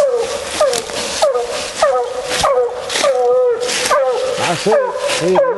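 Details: Raccoon-hunting female Bluetick hound gives repeated bawling bays, each a sliding drawn note, about one to two per second, over heavy broadband hiss, with a man's voice briefly near the end.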